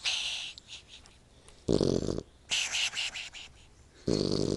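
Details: A sleeping puppy snores in breathy, broadband bursts, three rasping inhalations spaced roughly a second apart over a soft hiss, with quieter gaps between.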